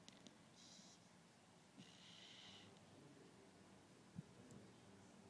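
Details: Gwen, a sleeping beagle, snoring indoors: two breathy, hissing snores, one short and one longer, with faint snuffles between them in a quiet small room.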